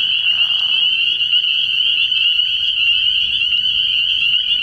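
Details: Spring peepers chorusing at night in early spring at a frog pond: a dense, unbroken wall of high, shrill peeps that merge into one steady ringing tone, with a brief lower raspy burst in the first second.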